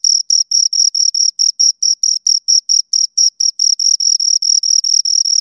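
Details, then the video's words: Pair of crickets giving rapid, evenly spaced high-pitched chirps, about four or five a second, crisp and ringing, with clean silence between pulses and no other sounds. "Two Crickets Chirp Sounds"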